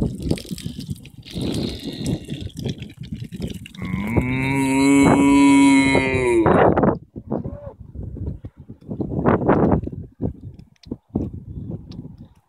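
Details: Long, loud bovine moo from cattle grazing an Irish field, a sustained low bellow of roughly three seconds with a rough rising onset, set between stretches of crackling, gusty background noise.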